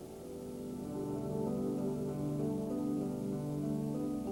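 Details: Soft sustained instrumental music with layered tones and a faint rain-like hiss, no animal voice. Gentle held chords fill the whole passage without any call.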